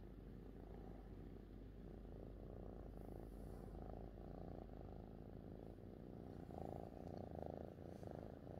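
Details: Pet cat Fifi purring happily beside its owner: a continuous low rumble with gentle rhythmic pulses, swelling slightly louder toward the end.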